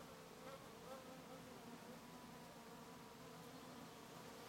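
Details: Bees and other insects foraging on lavender in Brittany, France; a soft steady overlapping buzz of several insects with wingbeat hum continuing throughout, faint and low in level.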